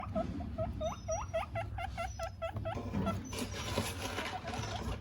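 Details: Guinea pigs eating from a hand: a run of rapid, repeated rising squeaks, about a dozen in under three seconds, followed by rustling and chewing noises, with a steady low hum underneath.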